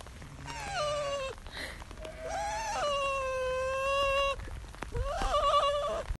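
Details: Trevor, a Bichon Frise dog, calls to sheep on a countryside walk in Cumbria, giving long wavering bleat-like whines, three drawn-out nasal cries that rise and fall, with light wind noise behind.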